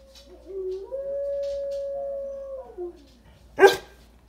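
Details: A dog gives a long, smooth howl that rises into a steady tone, wavers and falls away, followed by a short, sharp yelp near the end.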